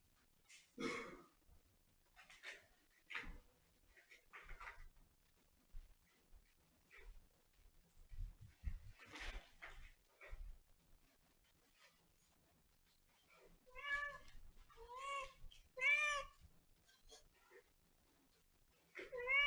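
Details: Domestic cat giving three drawn-out, arching meows in close succession near the end, after a stretch of scattered clicks, taps and rustling handling noises.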